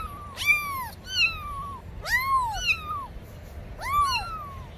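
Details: Domestic cats calling to attract other cats: a series of rising-then-falling meows in quick pairs, roughly one every second, fairly loud and tonal over faint low background noise.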